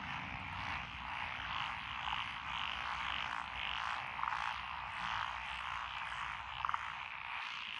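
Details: Many frogs calling from lotus rice fields along a country lane in Echizen, Fukui, Japan, in June 2021. A steady, dense croaking chorus, with short sharp rattles breaking through around four and a half and near seven seconds, over faint low background noise.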